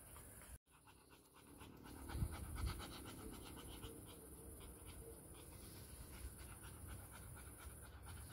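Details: Pet dog panting, one of two household dogs, a Bernese mountain dog and a Labrador named Lily and Sofia, filmed 20–22 June 2023 around Sofia's birthday; steady breathy huffs about twice a second over low outdoor rumble.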